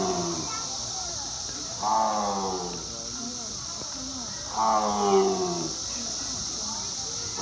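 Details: A tiger at Louisville Zoo in spring 2021 gives two throaty, moaning roars about three seconds apart, each sagging in pitch as it trails off, over a steady high hiss with faint human voices nearby.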